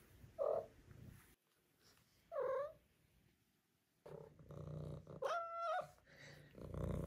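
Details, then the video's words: Female Maine Coon kitten at five months making a few short meows with quiet gaps between them, then a steady, level, drawn-out meow over soft purring. "5 Month Old Maine Coon Kitten Makes Cute, Funny Sounds"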